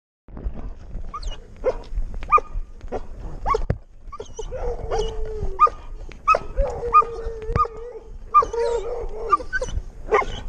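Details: Six-month-old Doberman Pinscher on a walk, recorded on a GoPro: sharp clicks and short yelps, then drawn-out whining notes with harmonics repeated every second or so, amid outdoor rustling and footsteps.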